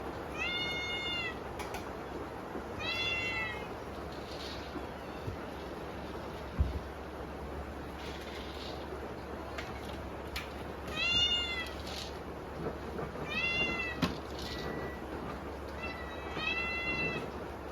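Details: Hungry kittens meowing at dinner time on a typhoon day, several bright, harmonic meows rising then falling, in bursts every few seconds, over a steady hiss of heavy rain.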